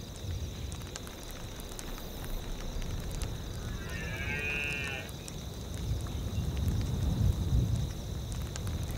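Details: A deer in a tundra soundscape gives one drawn-out, moaning call of about a second, over a steady low rumble of wind and a faint, constant high hum.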